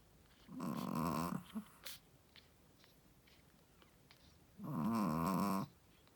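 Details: A sleeping Shih Tzu mother, a first-time mother, snores indoors: two rasping, buzzy snores about a second long, separated by several seconds of quiet breathing, with faint small clicks between.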